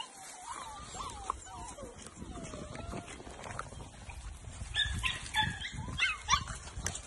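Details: Litter of English springer spaniel puppies close to two months old at play; drawn-out wavering whines open the recording, followed by a cluster of sharp, high yips and squeals over shuffling noise.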